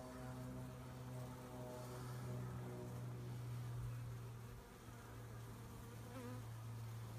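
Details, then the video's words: Swarm of honey bees being collected in Poland, a hive shown nearby: a steady, deep humming buzz with clear overtones, held evenly for several seconds, then slightly thinner after a brief dip near the end. "Rój pszczół ściąganie"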